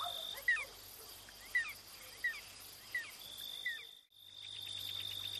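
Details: House gecko (cicak) on a house wall at night: five short, sharp chirps, each sliding quickly in pitch, spaced roughly half a second to a second apart, over a steady faint hiss.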